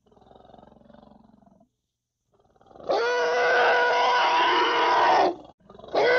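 A young African elephant gives a loud, harsh, trumpeting roar after a soft low rumble.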